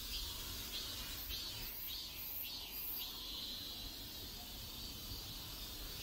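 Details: Cicadas calling in a South Korean neighborhood, a continuous high-pitched buzz broken by a few louder pulsing bursts early on, with low ambient rumble beneath.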